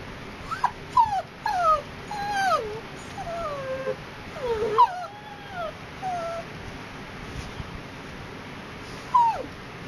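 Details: Poodle whimpering during a picnic at Tai Lam Country Park: a run of thin, high whines that slide downward, several in quick succession early on, then sparser single whines, over steady outdoor hiss.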